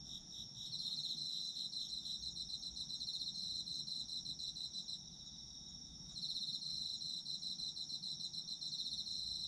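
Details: Autumn insect chorus offered as a sleep aid: overlapping shrill trills pulse quickly and evenly, one voice pausing for about a second midway before the full rapid chirping returns.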